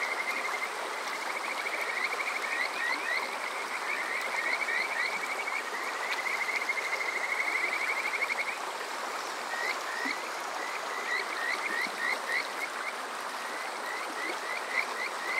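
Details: Japanese Kajika frogs calling at night in summer beside Water Park Shirayama, Chichibu, Saitama: a long fast trill of high whistled notes, then separate rising chirps from several callers, over flowing water.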